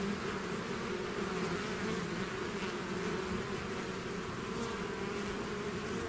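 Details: Natural buzzing of a bee swarm emerging from its hive: a steady, slightly wavering drone of countless wings, dense and uniform throughout with no other sounds.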